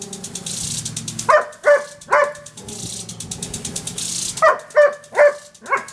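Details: Irene the Irish Setter barks at a water sprinkler in her backyard, three quick barks then a pause and four more, loud and evenly spaced, with the sprinkler's ticking and hiss underneath.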